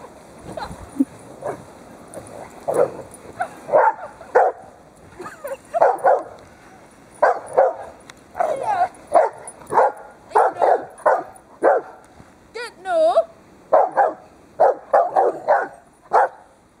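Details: Two pet dogs, Sally the Dobermann and Poppy the Rottweiler, playing with their owner while the Dobermann tugs at a scarf: a steady run of sharp barks about once a second, with a brief whine midway and some human talk.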